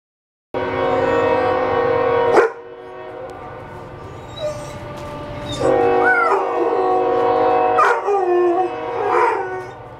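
A dog howls along with a train horn, its voice sliding up and down over the steady blast.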